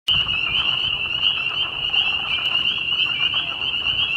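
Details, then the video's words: A dense spring peeper chorus in spring in Bloomington, Indiana: countless high, piercing peeps overlap into a steady shrill ringing. Southern leopard frogs and perhaps American toads were also in the chorus. "Frog Symphony"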